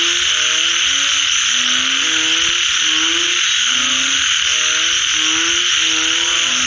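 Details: Chorus of frogs after rainfall: clusters of brief, deep, buzzy croaks from overlapping callers, pulsing in uneven bursts, backed by a loud, unbroken high insect hiss.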